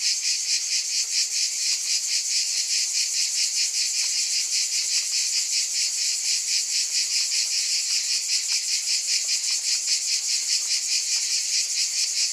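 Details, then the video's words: Steady, piercing insect drone of cicadas, pulsing quickly and a little unevenly, with a few faint clicks beneath the dense buzz. "Scintillating Cicadas"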